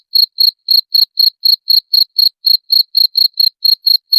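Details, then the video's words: Continuous cricket chirping, a sound played to repel rats: bright, high, clipped pulses following one another about four times a second, with nothing else audible. "SUARA JANGKRIK PENGUSIR TIKUS"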